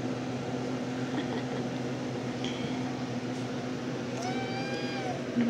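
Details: Drowsy 10½-week-old RagaMuffin kitten of the Shrek litter indoors after a nap gives one drawn-out, level, harmonic-rich meow near the end, with low room hum and a woman's quiet voice beforehand.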